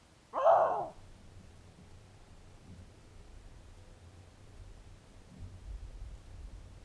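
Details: A male Canada lynx leaving scent and calling to attract a female whose scent passed through a week earlier: one short, loud, hoarse yowl, then faint rustling and quiet.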